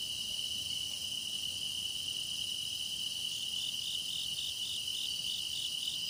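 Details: Grass insect song for meditation, a dense, unbroken chorus: one loud, steady high trill runs throughout while higher insect voices shimmer and pulse quickly behind it, with no other sounds.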